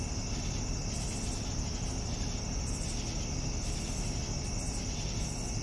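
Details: Evening crickets: a steady high trill runs throughout, with soft pulsing chirp bursts rising and falling over a constant low rumble.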